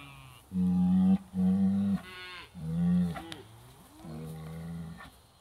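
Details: Excited British White cows, July 2013, stirred up by an old hide on a hay ring as the herd moves through a trap area: a run of four loud, steady lowing moos followed by a softer, fading bellow.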